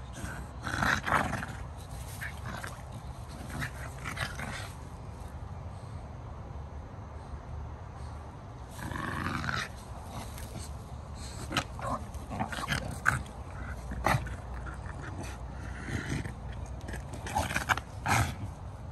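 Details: English bulldogs Ike and Mike, two pet dogs, giving short rough snorting and grunting bursts near the start, around nine seconds and again later, over a steady low rumbling background.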